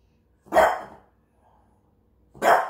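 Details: French bulldog kept as a pet and shown as a talking dog, barking twice, the sharp barks spaced about two seconds apart in a quiet room.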